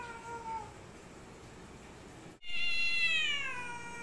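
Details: Black cat confronting a white cat: a faint falling tail of one cry, a brief cut, then a loud, rich yowl that bends slowly downward.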